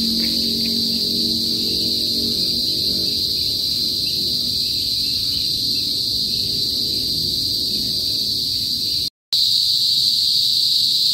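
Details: Loud chorus of kuliglig cicadas in a Philippine province in the north, heard before sunset: steady piercing high drone, with lower murmuring sounds underneath early on and a brief dropout near the end.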